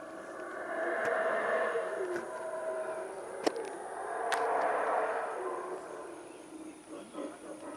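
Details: Distant howler monkeys roar from atop Caana at Caracol, Belize, on 3/7/2012, a deep breathy chorus that swells and fades in long waves.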